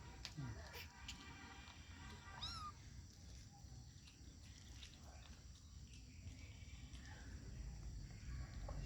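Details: Kitten growling: a steady low rumble runs throughout, broken early by a brief rising higher cry and scattered clicks and rustles.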